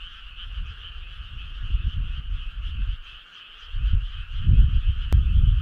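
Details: Frogs on a midsummer night by a country road: deep, low croaks pulse in rough, uneven bursts, fading briefly midway then swelling louder, over a steady high-pitched droning chorus.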